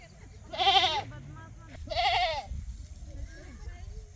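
A goat gives two loud, quavering bleats about a second apart over low background rumble.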